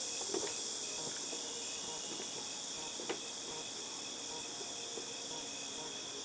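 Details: A high, continuous cicada drone from August 2018 fills the background, with scattered soft taps, clicks and a brief thump mixed in beneath the steady shrill hiss.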